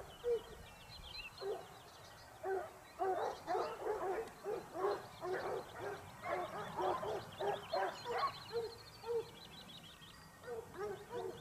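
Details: Topsfield Lebrera Basset Hound pack in Spain, out hunting in their second season, 2015-16. A steady run of loud, rich, repeated bays comes about twice per second, several hounds overlapping in the middle. Small birds twitter faintly in the background.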